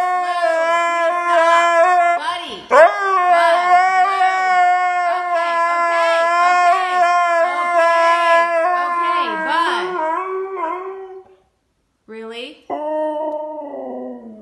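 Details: Siberian Husky Blu in a meltdown after getting into the trash: a long, level, droning howl that wavers near the end, then stops, followed by short lower whines, a person's scolding voice running alongside.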